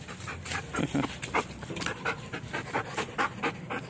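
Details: Belgian Malinois during a training session, panting hard in quick regular breathy pulses about four per second, loud and steady throughout with faint background noise.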